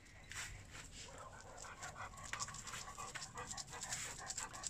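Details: Unicum, a six-week-old female Wirehaired Vizsla puppy and sole survivor of her litter, socializing with the pack at Zoldmali Kennel. Quick, breathy, rhythmic panting comes in soft hissing puffs about three per second throughout.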